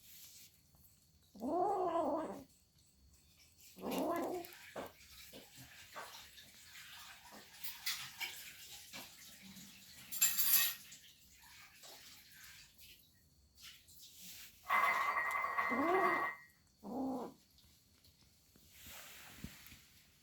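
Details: Domestic cat making noise again while eating: a few separate wavering meows spaced several seconds apart, with scraping and clinking sounds between them.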